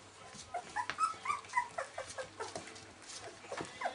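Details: Litter of Welsh Springer Spaniel puppies, 19 days old, giving a quick run of faint, high, squeaky whimpers and yips, several per second, over a steady low background hum.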